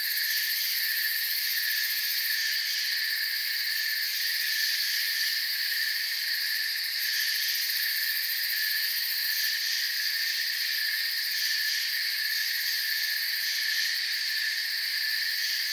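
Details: Crickets with forest ambience: a constant, high, hissing-trill chorus of stacked tones with no pauses. Faint periodic pulsing ripples through the uppermost band while the overall volume stays level.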